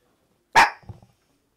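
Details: One of the Maltese dogs lounging on a bed at home gives a single sharp, loud bark, followed by a brief soft low grumble, with no other sounds.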